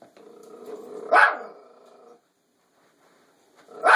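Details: Toy Fox Terrier Bandit facing off with a fake deer; a steady nasal whine leads into one strong bark, a pause of silence, then another bark starting at the end.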